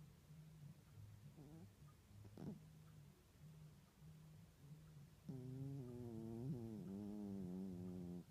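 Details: Domestic cat snoring in its sleep, the first time it has done so. Soft, low, rhythmic rasps come about every second, then swell into a long, loud, buzzy, tonal wheeze that lasts several seconds.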